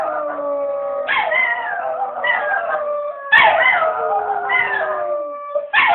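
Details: Several dogs howling together in overlapping, drawn-out tones that waver and slide downward, with fresh voices joining at intervals, creating a dense chorus of long wailing notes.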